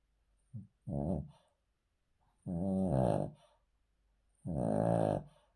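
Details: A male Cavalier King Charles Spaniel sleeping on the floor snores in low, throaty, rumbling breaths about every two seconds; a vet's heart check found nothing to worry about.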